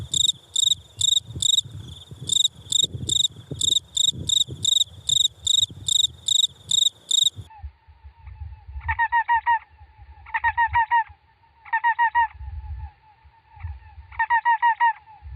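Insects calling: rapid high pulsed chirps, then a steady lower hum broken by buzzy bursts.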